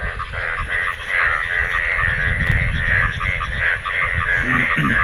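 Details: Frogs calling during the monsoon rainy season in Bangladesh, many croaking together after rainwater collected; bright pulsed croaks repeat several times a second in a steady overlapping chorus over a low rumbling background.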